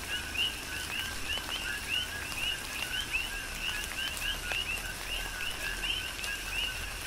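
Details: Chorus of coqui frogs calling during a tropical rain shower on the Big Island, Hawaii: short upward-sweeping chirps repeated rapidly and overlapping, about two per second, over steady rain patter and scattered drop hits.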